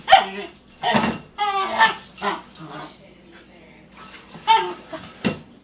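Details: Ziggy, a female Australian Terrier, playing her bowl game indoors: short bursts of harmonic, whiny growling vocalisations, several in quick succession with brief pauses, with human voices mixed in.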